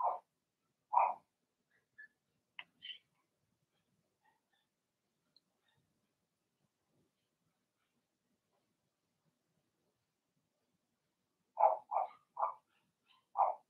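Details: Blenheim Cavalier King Charles Spaniel puppies in their indoor puppy pen; two yaps and faint squeaks, a long quiet stretch, then a rapid run of four or five high barks near the end.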